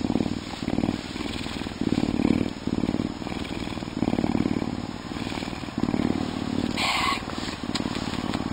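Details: Canada lynx (Lynx canadensis), an animal ambassador, gives a deep purr, a low rumbling throb that swells and fades in waves; recorded in February.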